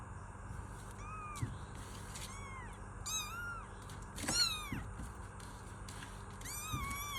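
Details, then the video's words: Several kittens meowing, overlapping thin high calls, some short and rising, others drawn out and falling, coming every second or so, with occasional soft knocks and a constant low hum behind them. "Kittens Meow || Kucing Mengeong || Meow Sound Effect || Kitten Sound"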